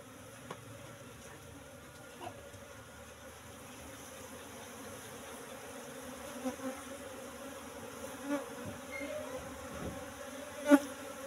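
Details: Hive-box colony of Apis cerana, brought from the forest roughly three months before, buzzing softly as honeycombs are lifted for harvest; an even, faint hum broken by a few light taps and one louder knock near the end.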